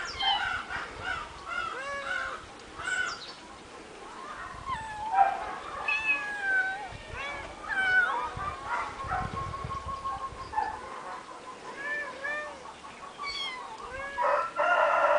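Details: Three eight-week-old kittens living on a finca, May 2011: many overlapping thin meows, rising and bending, scattered through the recording with background noise and a brief low rumble.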